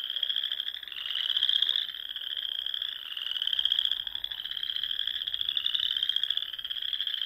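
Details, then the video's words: Springtime frog chorus from the dune ponds of Nebraska's Sandhills at dusk; countless high, buzzy trills blend into one continuous shimmering wall of sound that surges and eases every couple of seconds. "RELAXING SOUNDS OF FROGS"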